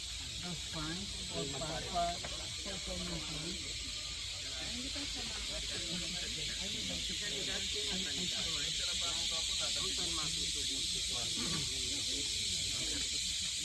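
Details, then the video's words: A continuous, shrill buzzing chorus of cicadas in a graveyard at Patikul, Sulu, holding an even level from start to end while people talk nearby. "Singing Cicadas in our graveyard in Sulu."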